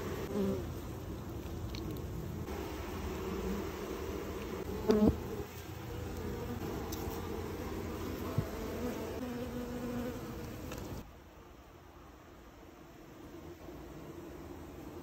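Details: Honey bees from a wild hive built in a tire while honey is pulled out; low, steady droning hum with a brief knock of handling near five seconds, then a quieter stretch toward the end.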